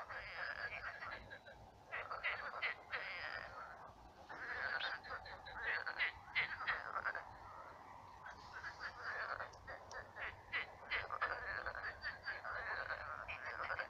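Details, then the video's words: Frogs croaking after dark in a pond that has dried into a swamp full of frogs; continuous dense chorus of rasping, pulsed croaks swelling and fading in waves. "Кваканье лягушек. Лягушки квакают."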